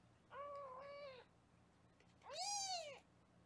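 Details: Foster kitten indoors in Los Angeles during weighing on a live kitten cam: two clear meows, the first long and level, the second higher, rising then falling, in a quiet room.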